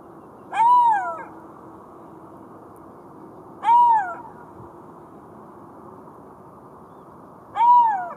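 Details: Three short, arched, plaintive wails from a golden jackal, about three seconds apart, each swelling and quickly fading over a quiet humming backdrop.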